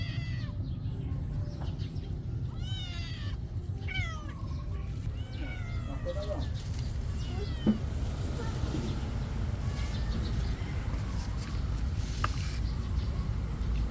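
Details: Cats fighting over food give a run of plaintive, drawn-out meows, some wavering and rising then falling, mostly in the first half, over constant low background rumble.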